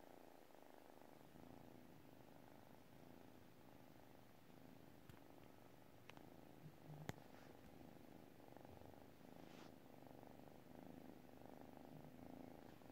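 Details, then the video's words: Purring from a sleeping cat: an even, low, throbbing drone with gentle breath-paced swells and scattered soft ticks in the background. "cat purrs while sleeping"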